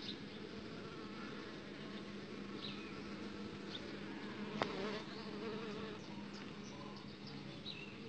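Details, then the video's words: Young uruçu stingless bee queen mating outside the hive box, with a continuous low buzzing hum throughout, brief higher whining tones around the middle, one loud click, and faint scattered high chirps in the background. "Princesa de uruçu sendo fecundada benyro da caixa"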